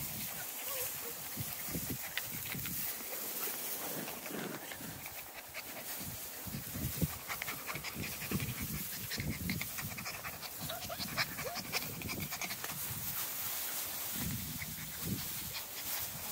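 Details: Six-week-old Small Munsterlander puppies from Jig's litter at Gosch Kennels, out in tall grass; quick, rhythmic breathy panting runs throughout, over steady rustling of grass and brief human voice.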